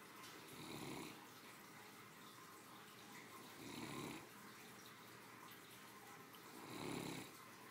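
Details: After her midday meal, a three-year-old female Great Dane sleeps and snores; three low, breathy rasping snores come at steady intervals of about three seconds amid faint room hiss.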